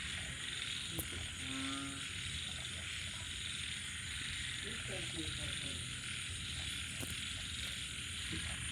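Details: Frogs, small frogs and banded bullfrogs calling at night after rain: brief, rapid, rattling pulsed croaks rise out of a steady, shrill, hissing insect chorus that dominates throughout, with another short burst of croaks midway.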